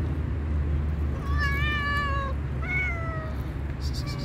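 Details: Black and white cat with a mole on the nose, hungry, gives two long drawn-out meows, the first sustained and slowly falling, the second shorter and bending downward, against a constant low hum.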